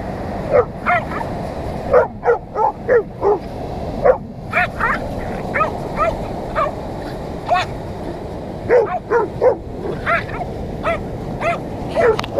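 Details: Dogs, a Scottish Deerhound taunting a Jack Russell Terrier while playing on the beach at Sennen Cove, Cornwall: a rapid series of short, sharp barks and yips, repeated in bursts throughout, over steady surf-like background noise.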